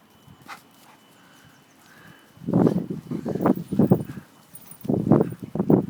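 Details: Ronnie the dog at Wollaton Park, making bursts of low, rough growling noises in two clusters of rapid pulses, with faint voices in the background.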